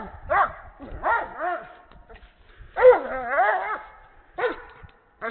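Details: Breeding Doberman in Canada playing with a horse ball: rising-and-falling harmonic barks and drawn-out wavering yowls in uneven bursts, with low thumping noise from the play underneath.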